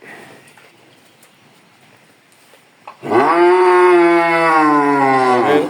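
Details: Bull raised on a farm and offered for sale for the coming Qurbani. After a quiet stretch with faint background noise, it lets out a loud, sustained, low moo lasting nearly three seconds, steady in pitch and dropping slightly at the end.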